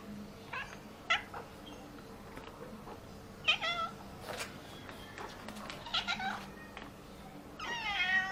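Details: Pregnant orange classic tabby cat, said to be very greedy, meows repeatedly with wavering, pleading calls, several short meows spaced over eight seconds, the last one long and rising, amid light household noise.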